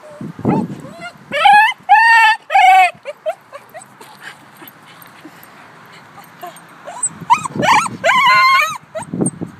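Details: Over-excited two-year-old cream male Shiba Inu at a dog park: bursts of loud, bending, harmonic yodel-like wails in groups of three, a quieter stretch of soft whimpers, then another yodelling burst, with some human voices.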